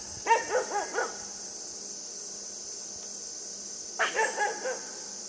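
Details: A puppy named Yufie at play with a buck: a quick run of four high yips, a pause of about three seconds, then another similar run of yips, with steady high-pitched hiss behind.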